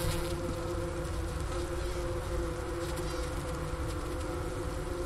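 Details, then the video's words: Honey bee colony in winter, recorded around 4 PM on January 16, 2024 at 15 °F, at the inner-cover hole beside a sugar brick, Ohio State University Wooster campus; steady low droning hum with faint tonal bands throughout. "Bee Hive Sounds in Winter"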